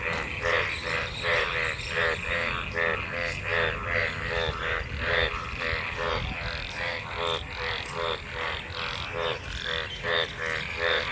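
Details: Monsoon-season frog chorus from a crowd of mating frogs in rainwater: rapid rhythmic croaks with buzzy harmonics, about one call per second from each voice, many callers overlapping continuously.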